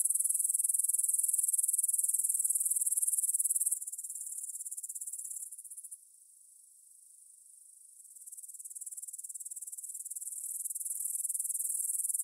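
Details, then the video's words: Evening chorus of grasshoppers in a field by the Svensky monastery in Bryansk, Russia, 9pm, 6 September 2020, Tascam DR-44WL stereo recording: loud high-pitched buzzing trills that fade to a near-lull midway before building back up. "кузнечики на лугу – Grasshopper Sounds in the Field"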